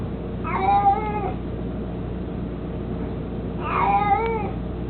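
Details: Mico, a mostly blind, chubby 18-year-old pet cat devoted to his toy mouse, makes two even, harmonic meows about three seconds apart, each slightly falling at the end, with a low steady hum behind.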